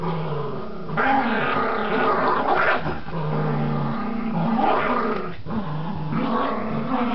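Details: Tug-of-war play between Border Terriers Gracie and Marvin brings sustained low growls, rolling in long waves with pitch bends and brief gaps around three and five seconds.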